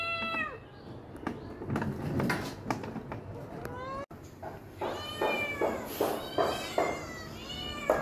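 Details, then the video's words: Hungry domestic cats indoors crying for food at feeding time: repeated harmonic meows, some falling in pitch and others rising then falling, coming in quick bursts, with a woman talking to the cats over them. "Cat crying for food"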